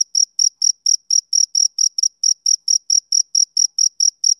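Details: Rhythmic chirping of a male cricket on a summer evening, about seventeen high, crisp chirps in four and a half seconds, regularly spaced, in otherwise silent surroundings.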